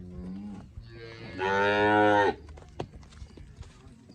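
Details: A Cholistani Friesian cross cow in Pakistan gives one loud, drawn-out moo lasting about a second, steady and rich in overtones, after a softer lowing start; men talk nearby before and after.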